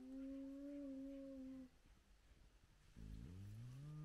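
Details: Spotted hyenas of a large clan at their den with lively cubs, at sunrise. A level tonal whine fades out after a second and a half. After a short gap, a lower, deeper call slides upward.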